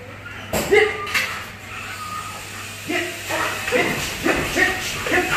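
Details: Belgian Malinois weighing 47 kg in bite-work training. After a short quiet start, a run of quick, harmonic barks comes through over a handler's spoken commands.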